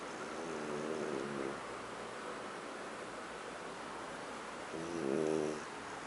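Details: A French bulldog named Huck snoring while asleep on a living-room sofa; two harmonic, rasping snore pulses about four seconds apart over a steady indoor hiss.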